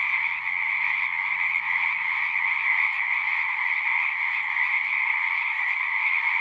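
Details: Chorus of frogs at a pond in a horse pasture, many voices merging into a constant high trilling drone with a second lower band, steady level, faint low hum underneath.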